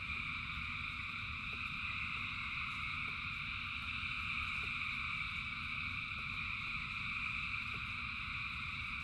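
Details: Frogs calling in rain: a massed, steady chorus of overlapping high buzzing trills held at constant loudness throughout, sparse soft ticks, and a continuous low patter of rain underneath.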